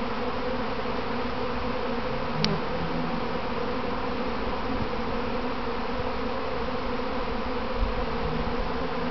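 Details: Honey bees from a kept colony in a practice swarm, clumping on their hive box before returning home; dense, steady droning hum of many wingbeats, unbroken throughout, with a brief click near two and a half seconds.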